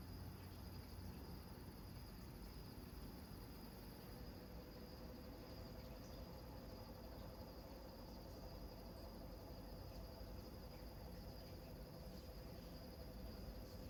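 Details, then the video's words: Crickets at night in the Maui, Hawaii countryside: a steady, high continuous trill in two thin bands, heard over a constant low rumble from waves slamming against rocks. "Sounds of bull Frogs, crickets, huge waves slamming against rocks Maui Hawaii country nature sounds"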